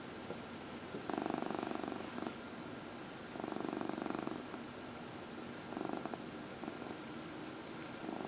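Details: Massaged domestic cat, one of four household cats, purring indoors; rhythmic vibrating purr in one-second bursts separated by quiet inhalation gaps, repeating about every two and a half seconds.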